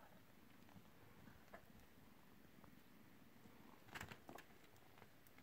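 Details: Six-week-old Ragdoll kittens purr in a low, continuous rumble, with scattered soft clicks and a brief cluster of sharper knocks around the four-second mark.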